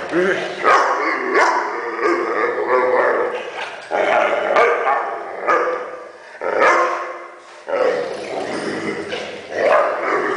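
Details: Weimaraner making funny noises, a series of long groaning, howl-like vocal bursts lasting about two seconds each, separated by short gaps, with a wavering, talking quality.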